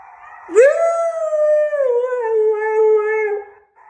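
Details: Male husky howling in response to wolves howling: a single long howl that swoops up sharply, then holds a steady, slightly wavering tone before gradually sinking and stopping after about three seconds; rich overtones, no other clear sounds.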